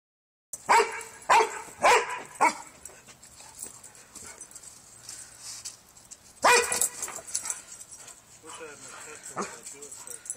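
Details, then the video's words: Female Dobermann freaking out at a tall Santa, giving four loud, sharp barks about half a second apart, a pause with voices, then another barking burst, with people talking throughout. "Doberman freaking out on santa"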